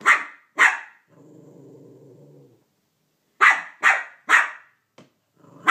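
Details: A male Cavalier King Charles Spaniel barks at a Minnie Mouse toy for taking his bone: sharp repeated barks, a low growl between them, then three quick barks in a row, with a person urging him on.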